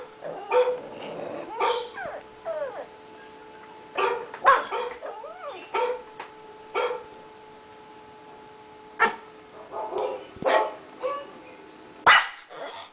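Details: Five-month-old pug barking at other dogs barking on screen: short sharp barks and yips in scattered bursts, some with whining rising tones, separated by quiet gaps, with steady faint electronic hum beneath.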